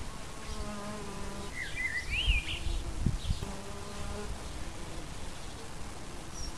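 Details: In an English wildflower garden, a bee's low, droning buzz swells as it passes close twice, with a blackbird's brief fluting whistle in between and soft outdoor background.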